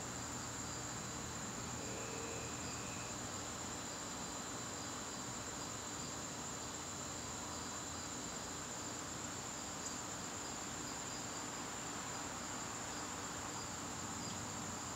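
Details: A September evening in the garden, with crickets keeping up a constant shrill trill at a fixed high pitch, plus a softer lower tone, a brief faint whistle near two seconds and a dense hiss of background noise.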